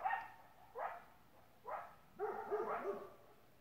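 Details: Great Pyrenees barking alongside a coyote: a quiet series of short, rough barks, a few spaced about a second apart, then a faster cluster of three or four near the end.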